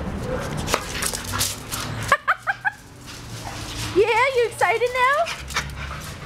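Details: A neutered male American Staffordshire Terrier mix named Frankie, about one year and seven months old, at a shelter, gives a quick burst of three short sharp yips, then a run of wavering, rising whines, while a woman speaks to him.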